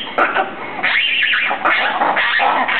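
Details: Red ruffed lemurs in the San Francisco zoo calling to mark territory: harsh, wavering screams in overlapping bursts, a brief lull near one second before the chorus resumes.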